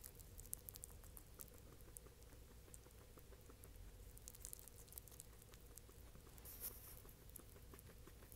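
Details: A male guinea pig smacks his lips while mashing and eating banana, with soft, rapid clicking and crunching over a low background hum.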